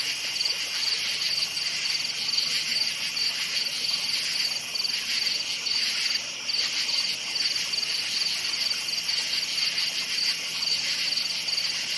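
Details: Crickets in a forest at night keep up a bright, piercing trill of rapid repeated chirps over a broad insect drone, with a brief dip in loudness midway before the chorus resumes.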